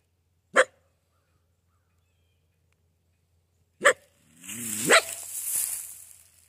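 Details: A coyote encountered while trapping gives two sharp, separate barks, then a rising, wavering yelp that trails off.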